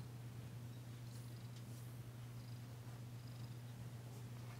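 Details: Steady low purring from Danci, a tentative female house cat, as she is massaged indoors, an unbroken deep drone with faint soft rustles above.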